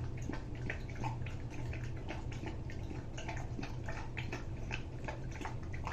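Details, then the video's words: Greater Swiss Mountain Dog Rousseau laps up homemade soup of turkey, carrots, cauliflower and bits of red bell pepper; soft, quick, dripping clicks follow one another in a steady rhythm over a low hum. "Rousseau eating soup - Greater Swiss Mountain Dog"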